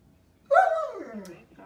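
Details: A giant Alaskan Malamute "talks" to interrupt its owner's phone call, giving a single drawn-out, moaning 'woo' that slides steadily downward in pitch.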